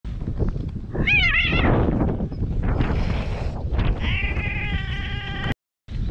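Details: Free-roaming cats mating on a cat island in Japan, filmed on a GoPro; a wavering, warbling yowl early on, then a long steady harmonic wail, over loud low-pitched rumbling and handling noise, with a brief silent gap near the end.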